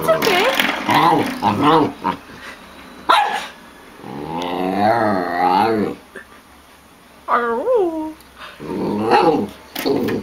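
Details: Samoyed dog vocalising in drawn-out, wavering, harmonic moans and growly 'talking' sounds, with one long warbling cry in the middle and a short rising-falling yelp near the end; voices are heard alongside.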